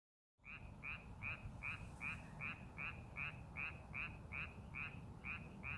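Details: Frog calling from a rice paddy being prepared for farming: after a brief silence, short rasping croaks repeat steadily about two to three times a second, over a constant low rumbling background.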